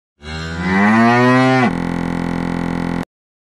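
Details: Ongole cow giving one loud, harmonic-rich moo that swells and slowly rises in pitch for about a second and a half, then cuts abruptly into a flat, unchanging buzzing tone before sudden silence.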